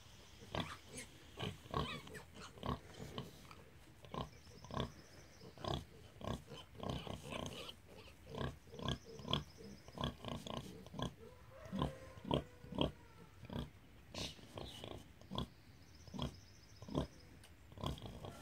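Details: Hereford sow named Rosie with her piglets, singing to them at feeding time: a steady run of short, low rhythmic grunts, roughly two per second, with faint higher squeals from the young in between.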